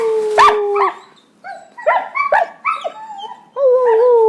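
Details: Two pet puppy brothers, the older one newly learning to howl and coaching the younger: overlapping wavering tonal howls mixed with short yelping yips, several broken notes in quick succession before a long steady howl at the end.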